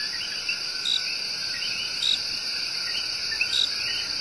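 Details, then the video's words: Coqui love song from the El Yunque Rainforest, Puerto Rico: a small loud tree frog's sharp high notes recur roughly every 1.3 seconds, layered with upswept chirps from other callers and a constant buzzing insect chorus. "SERENADE OF THE COQUI"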